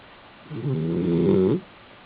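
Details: Male Basenji dog asleep on his back indoors in an apartment in South Park, Pennsylvania, giving a single low, buzzy, harmonic snore lasting about one second, with quiet room hush before and after.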